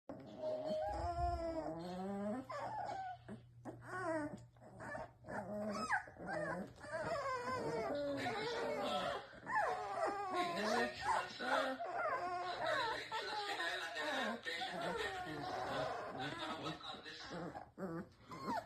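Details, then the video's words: A litter of Presa Canario puppies cooing themselves to sleep. Several overlapping young voices make high, wavering whines and coos that rise and fall. They keep up almost without a break, some long and bending, others short and quick. "Sounds of Drago X Cleo Puppies"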